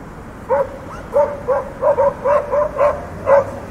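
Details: After half a second of quiet, a dog barks about nine times at a fairly even pace, each bark short and bright. Faint steady hum in the background.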